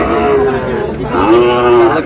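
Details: Sahiwal bull calves at a cattle market in Chandpur, recorded 15 May: two drawn-out, mid-pitched moos, each steady and level with rich harmonics, separated by a short gap, over a constant background murmur.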